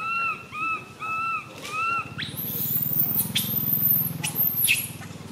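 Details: Three arched, whistled cries from the tiny female baby monkey MoMo, who falls down while crying. A sudden very high, thin squeal follows, then harsh screams over a low rumble.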